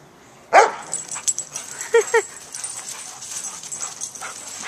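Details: Rescue dogs Joy, a senior German Shepherd, and Riley, a young Pit Bull, at play while awaiting adoption through Coastal German Shepherd Rescue OC: one loud sharp bark followed by two short quick yips, then quieter rustling noise.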